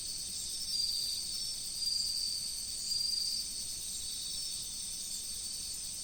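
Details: High ringing chorus of autumn insects near a river, with three short bursts of pulsed chirping roughly every 1.1 seconds rising above the steady shrill background.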